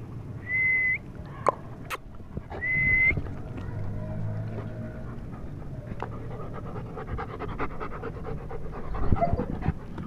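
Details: German Shepherd from a pair in Pakistan, Sherman and Ava, panting in quick breathy bursts that run steadily through the second half, after two brief steady whistle-like tones near the start and some sharp knocks.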